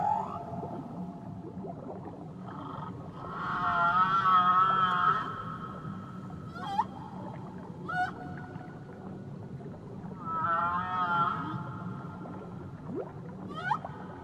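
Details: Whale song off Tahiti: drawn-out tonal moans rich in harmonics come in two long swelling phrases, broken by short sharp upsweeping whoops, over a steady low wash of water.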